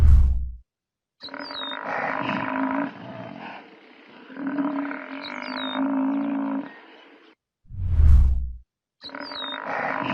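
A buffalo gives long, deep, rough bellows, each lasting a few seconds.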